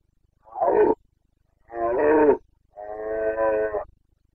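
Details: Red deer stag of the Carpathians roaring in the Bucovina rut, Romania, 2022: three bellows, a short gruff one, a wavering longer one, then a sustained steady groaning roar, in otherwise quiet surroundings.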